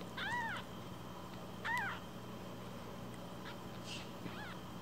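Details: Week-old rescue kitten in foster care: two clear arched cries about one and a half seconds apart, then fainter brief squeaks, over a low steady hum.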